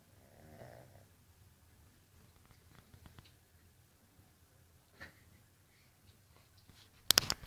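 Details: Jazz, a Jug puppy, snoring while asleep: soft, rasping breaths, one near the start and another around five seconds, in an otherwise quiet room, ending with a brief sharp clatter.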